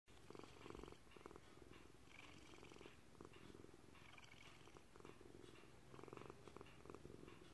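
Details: Thunder, a gray-blue Maltese cat adopted as an eight-year-old senior, purrs while kneading indoors; a steady low rumbling purr with pulsed texture swells in alternating inhale and exhale phases about every second, over faint background hum.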